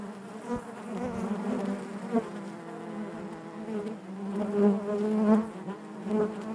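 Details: Natural buzzing of honey bees in the hive, a thick low hum that swells and fades. The loudest stretch, near the end, carries bright, wavering overtones.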